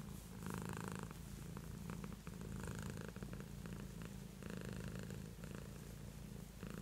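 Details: Beatrice the house cat purrs loudly and close, a deep buzzing rumble rising and falling with each breath in two strong surges.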